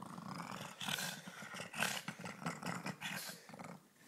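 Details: Pug Ulisse at play: a continuous throaty, pulsing growl with snorty rasps rising and falling over four seconds, indoors.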